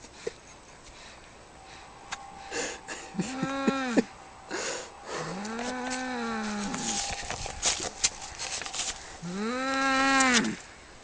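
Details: Cat fight with three long, moaning yowls, each with a low bend that rises and falls. Clicks and scuffling sounds come between them, and a faint steady tone runs underneath.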